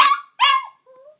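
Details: Two short, yelping howls from a pet dog of about one and a half years, given as its owner calls another dog, followed by a faint, thin whine.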